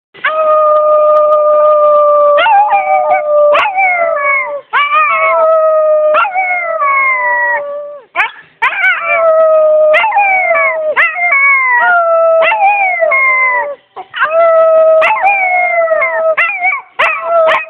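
A German Shepherd howls in long, wavering tones that slide up and down in pitch.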